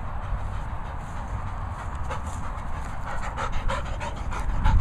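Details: Labrador Retriever, one of two dogs enjoying themselves, panting in quick, breathy bursts that grow louder and faster toward the end, over a steady low background rumble.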